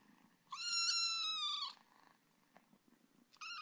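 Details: A cat gives one drawn-out, bright meow of just over a second, steady in pitch and rich in overtones, then starts a second meow as the recording cuts off; otherwise a quiet indoor background.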